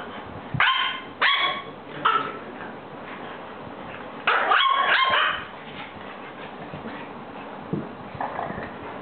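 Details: A female French bulldog gives short, sharp barks and yips, welcoming her new friends.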